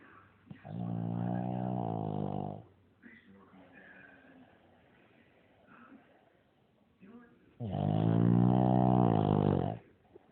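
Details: Loud snoring from a Shih Tzu asleep. Two long, low, droning snores of about two seconds each come roughly seven seconds apart, with quieter raspy breaths and small snuffles between them.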